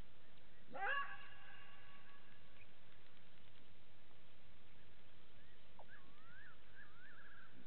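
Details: At a waterhole by Gowrie dam in Djuma Game Reserve, Sabi Sand, South Africa, at 02:27 on 15 September 2018, a side-striped jackal gives a single brief, rising, harmonic yelp, followed later by quiet wavering whistles over constant background hiss.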